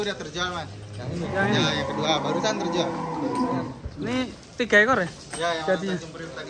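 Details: Belgian Blue cattle at an extreme-class cattle contest at Bintang Tani Farm in Indonesia: a long, low, drawn-out moo lasting about three seconds, rich in steady harmonics, followed by people talking nearby.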